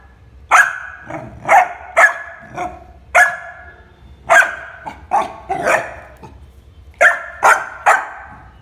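A Labrador Retriever puppy barks repeatedly, each bark short, bright and forceful with a slightly hoarse edge. The barks come singly or in quick pairs, separated by brief pauses of about half a second to a second.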